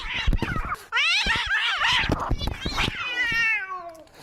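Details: Screaming tabby cat called Maxwell: after a second of clicks and rustling, a loud drawn-out harmonic yowl wavers up and down, then a second cry slides steadily downward and fades, with faint background voices.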